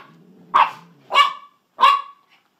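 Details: Pet dachshunds Sausage and Weenie, urged to go after a kitty, bark three times in sharp high yaps spaced roughly half a second apart, with a low hum underneath.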